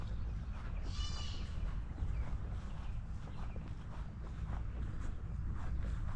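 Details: A baby white-tailed deer cries in distress from woods behind a backyard; first mistaken for a weird bird, it gives a single short, high, nasal bleat over a steady low rumble and footsteps as someone approaches.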